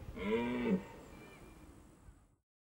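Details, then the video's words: A red deer calls during the rut at the end of September in Hohe Tauern National Park, Austria. It gives one deep, harmonic moaning roar of under a second that fades into a quiet echoing tail. "Red deer rut"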